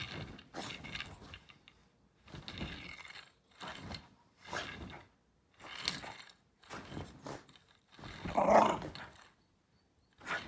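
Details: Koichi, a Shiba Inu dog indoors, reacting to a backscratcher it dislikes: a series of short, rough growling bursts about a second long, separated by brief pauses, with the loudest outburst near the end.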